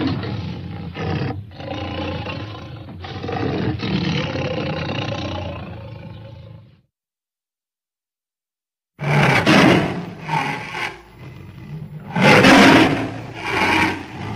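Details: Tiger (Panthera tigris), roar.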